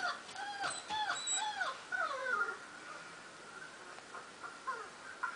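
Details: Four-month-old German Shepherd reacting to recorded noises of little German Shepherd puppies, giving a quick run of high, bent whimpers and yips that sweep down in pitch, several a second, then fainter scattered whines over a steady background hum.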